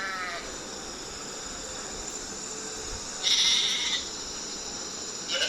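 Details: Sheep (Ovis aries), bleat.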